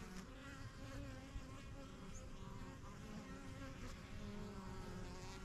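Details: Honey bees at a backyard hive, the yellow hive and strongest of a first few hives begun in spring 2023, flying in and out while settling in; a steady layered hum with drifting buzzing tones from passing bees, no other clear sounds.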